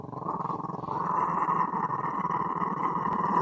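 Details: A little dog growls in a steady, rough, surprisingly big rumble that runs without a break.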